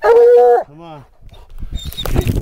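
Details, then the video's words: Black and Tan Coonhound named Rambler treeing a raccoon at a den tree, giving a long steady bawl held for about half a second, followed by a shorter lower yowl, then a man's voice praising the dog amid rustling. "Rambler on a den tree, but coon is definately there!"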